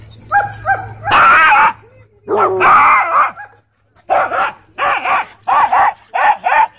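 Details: At a dog park, a Dwarf Staffordshire Terrier tries to boss an American Bully. Loud barking: two quick yips, then two long harsh rasping barks, a brief pause, and a run of five sharp, evenly spaced barks.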